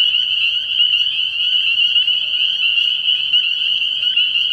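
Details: Spring peepers calling together at a frog pond at night early in the year: a dense, unbroken high-pitched chorus of overlapping peeps forming a steady shrill wall of sound, with no other clear noises.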